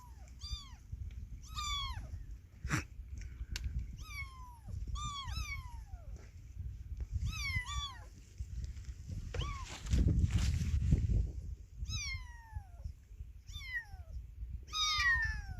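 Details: Motherless baby cat calling over and over, about a dozen short, high, falling meows in irregular bursts, with a brief rushing noise partway through and a low background hum.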